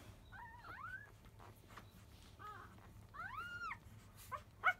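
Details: Five-day-old field-line Labrador Retriever puppies, born to the 2017 JFA grand champion biscuit, fussing loudly just after 1 pm as another nursing begins: high, arching whimpers and squealing cries, several rising-then-falling wails with soft rustling between.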